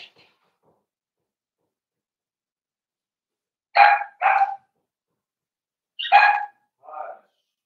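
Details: Cavalier King Charles Spaniel puppies, four weeks old, Daisy's litter in a pen: two pairs of sharp, bright yips, each pair quick and close together, separated by about two seconds of quiet.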